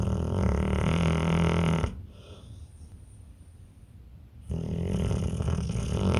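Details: Pit bull snoring in deep sleep: two loud, coarse, rumbling snores with a near-silent pause of about two and a half seconds between them.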